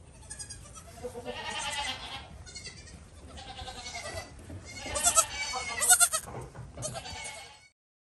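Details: Cute young goat kid giving a rapid series of short, quavering, nasal bleats, growing louder toward the end before cutting off.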